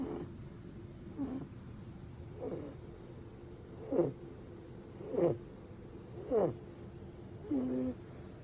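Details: Pet cat sleeping so deeply it does not wake when touched, snoring; low steady rumble with a short squeaky wheeze roughly every 1.2 seconds.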